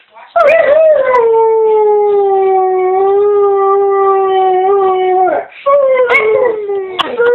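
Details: Pet dog making sounds its owner likens to a horse: one long, steady, slightly falling howl-like tone held about five seconds, a short break, then shorter wavering yelping notes.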